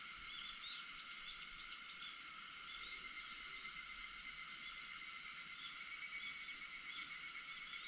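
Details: Cicada song at 4:50 am, 4 August: an unwavering, piercing buzz fills the whole stretch with sustained lower insect tones, and faint chirping birds are just audible behind it.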